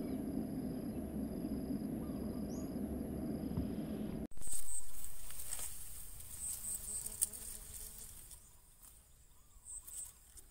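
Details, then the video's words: Bees pollinating and feeding on coconut flowers: a dense, steady low droning buzz with layered overtones fills the first four seconds, then cuts abruptly to a quieter scene with faint high tones, scattered clicks and rustling. "Bees Pollinating and eating coconut flower - nature sounds"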